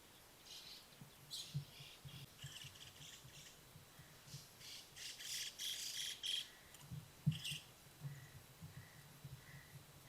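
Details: Hiccuping Ezo red fox kit at a wild den in Hokkaido, Japan, on trail camera: a steady run of low, dull, clipped pulses, overlaid by sharp higher bird squawks and chirps in the surrounding woods.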